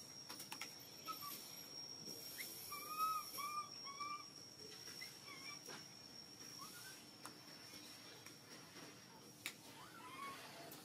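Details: Baby monkey, hungry, crying to ask for milk: a cluster of thin whistled squeals in the first seconds, then sparse fainter cries among soft clicks and handling noise.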